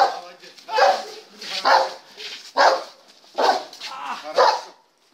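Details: German Shepherd in test number 39 barking steadily, about five rough barks spaced nearly a second apart, with faint human voices between them.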